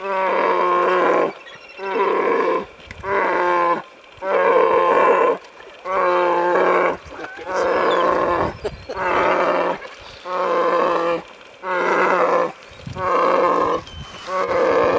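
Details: Wild brown bear cub in Alaska at a bear-viewing site, wanting a fish: loud, nasal, moaning bawls about a second long, repeated roughly every one and a half seconds, around ten in a row, with short quiet gaps between.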